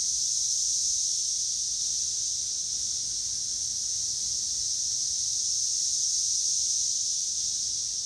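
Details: Continuous shrill cicada chorus recorded in Northern Kentucky, 2021: an even, high buzzing wash that neither rises nor falls across the whole stretch, with nothing else clearly audible.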